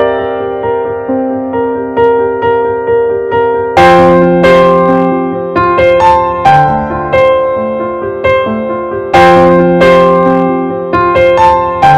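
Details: Solo piano music plays throughout, with sustained chords and a repeating melodic line, and louder struck chords near four and nine seconds; no animal sound is heard.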